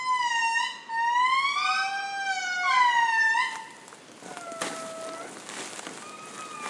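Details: Wild indri in Madagascar forest answering after a guide played a recording to locate a family; groups call to each other to orient themselves, carrying up to 3 km. Loud wailing, rising and falling harmonic glides in overlapping voices, fading into softer distant wails.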